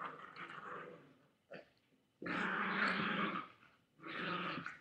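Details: Chihuahua growling at a boy with a toy, filmed indoors by webcam; three snarling growl bursts, the longest lasting nearly two seconds, separated by short pauses with a brief knock between.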